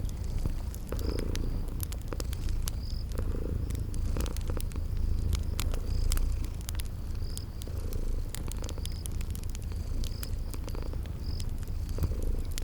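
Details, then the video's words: Sleeping kitties purring steadily in a deep rumble, accompanied by frequent fireplace crackles and a repeating pattern of short high chirps from a spring garden setting. "Relax with Cute Sleeping Purring Kitties"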